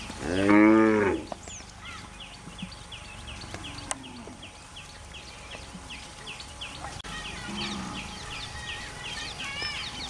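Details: A cow grazing on the way to a mountain forest gives a loud, deep moo, then a softer one, while small birds chirp steadily behind.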